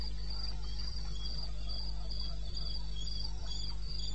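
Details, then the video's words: Crickets calling from eastern Botswana wilderness at 02:30, 21 May 16, in darkness: regular bursts of shrill pulsing trills with a second softer caller just below, a few faint low thumps and a continuous background hum. "1 Hour cricket sound"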